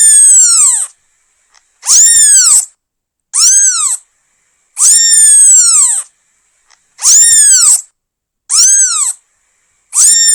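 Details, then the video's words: Seven insistent meows from a newborn kitten calling its mother. Each is a bright, arched cry that swells and falls away, spaced by short quiet pauses, with no other sounds. "CUTE KITTEN MEOWS 🐈 Newborn Cat Calling Mom"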